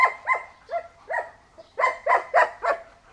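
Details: A male German Shepherd, an old-type flat-backed working dog at a breeding kennel in China, gives a quick series of sharp, fairly high barks, about eight in three seconds, with a brief pause midway.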